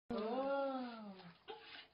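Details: Dog that fell down a well howling as rescuers pull it to safety with a rope; one sustained, tonal howl lasting about a second, gently rising then sliding lower, followed by a short fainter cry.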